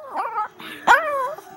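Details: Female Chihuahua talking back, making drawn-out whiny, wavering vocal sounds that rise and fall in pitch, with a short louder yelp-like burst near the middle followed by a long sliding whine.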